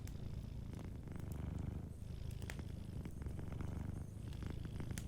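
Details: Sleeping cat purring softly by a warm fireplace, a steady low rumbling purr running throughout, with sharp crackles and pops from the fire scattered over it.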